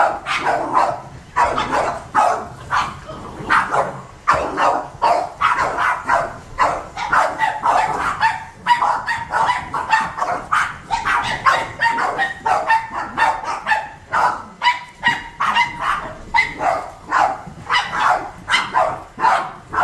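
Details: Seven Boston Terrier dogs bark at indoor vacuuming in a long, relentless volley of high, snappy barks and yips, several dogs overlapping, pace rarely slackening across twenty seconds.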